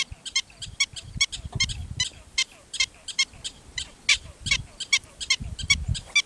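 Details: Chattering from wild black-footed ferret kits on the Montana prairie at nightfall, out on tentative explorations: rapid, bright, stacked bursts come in an uneven stream for six seconds, over low thumping sounds and a faint ticking insect.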